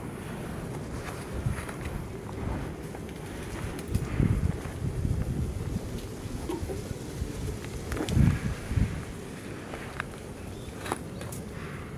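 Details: Steady low wind rumble against the microphone with scattered handling knocks and faint clicks, no animal call.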